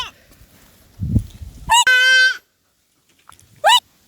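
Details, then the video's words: Goat utters a short nasal bleat, preceded by low handling noise and a brief rising squeal, with another quick upward-sweeping squeal near the end. "Amazing sound call goat"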